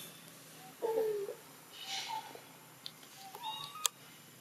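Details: Baby macaque in Siem Reap Province, Cambodia, crying loudly for its mother's help while another monkey plays rough with it: a short falling tonal wail, then brief clear squeals that rise near the end, over a quiet background.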